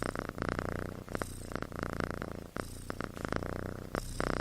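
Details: Sleeping kitten snoring like a human: a steady low rumbling drone with a buzzy, pulsing texture, broken by brief gaps near one, two-and-a-half and four seconds, indoors in a quiet small room.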